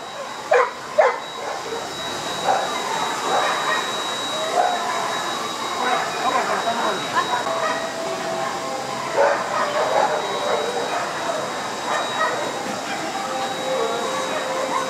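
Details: Old English Sheepdog at the FCI Osaka dog show on 5 December 2010: two sharp barks early on, then scattered softer barks and calls beneath steady crowd chatter and indoor hall noise with a constant high electronic tone.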